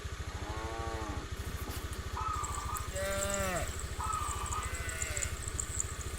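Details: Tame village cows in a herd heading to the rice fields in the morning to look for food; drawn-out nasal moos with wavering pitch over a steady low engine-like rumble, plus short higher tones.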